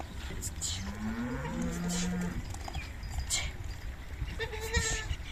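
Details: Baby Beetal goats on a farm bleating: a long wavering, nasal bleat rising then holding steady in the first two seconds, a shorter bleat near the end, with people talking and steady low background rumble.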